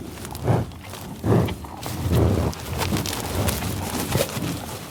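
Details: Bison snorting and sniffing in Oklahoma tallgrass prairie near Pawhuska, USA: two sharp, breathy puffs early on, then a longer rough exhale, with swishing grass and trampling throughout.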